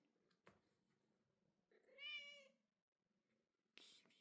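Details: A single bright, high meow lasting under a second from Kitty, a female Bengal cat celebrating her second birthday. Faint room noise and soft voices wishing her happy birthday surround it.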